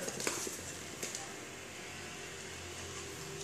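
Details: Quiet indoor room tone with a low hum and a few soft taps, with no animal sound.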